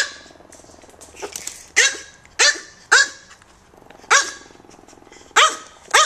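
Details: Tiny micro teacup poodle pair living in Hong Kong, bred from American kennel lines: a handful of high, sharp yaps spaced roughly half a second to a second apart, with quiet between.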